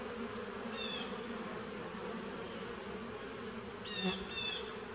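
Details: Honey bee nuc buzzing steadily, a low droning hum throughout with two brief bright chirps near the start and end, recorded 19 September 2018.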